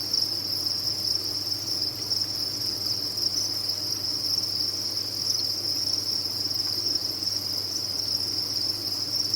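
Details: On a cricket farm, countless crickets sing at once, blending into a continuous piercing trill that holds steady without rhythm breaks, accompanied by a gentle background hum.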